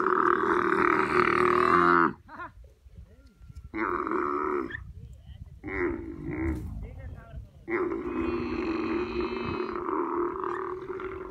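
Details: Crying female camel gives a long, hoarse, droning bellow, then quieter grunts and short rasping bursts, ending in another drawn-out, strained cry lasting several seconds.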